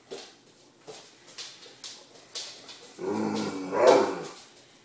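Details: Great Dane Shortie, a female wanting dinner, makes a rough, rising-and-falling groan late on, after soft tapping sounds in a small indoor room.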